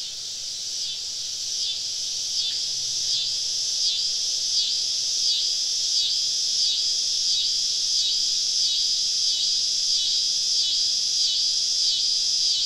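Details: Cicadas surrounding a campsite deep in southern woods on a summer evening: a dense, high, shimmering buzz that holds steady throughout and pulses about three to four times a second, with no other clear sounds.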